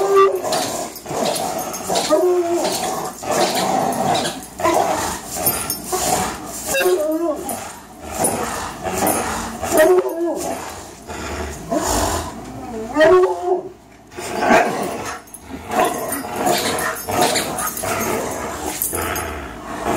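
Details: Two 3-year-old dogs, a Greyhound and a German Shorthaired Pointer, playing tug of war: repeated throaty growls and whines in bursts, with people talking in the background.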